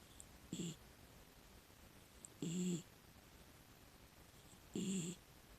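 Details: A rescued female miniature dachshund, aged six, sleeps deeply and snores. Three low, rasping snores come roughly every two seconds, the middle one longest, each with an airy hiss over it.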